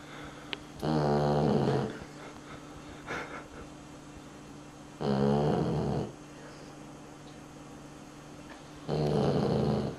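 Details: Pet dog asleep and snoring, three long rasping snores roughly every four seconds, each about a second long and evenly loud, separated by near-silence with a faint background hum.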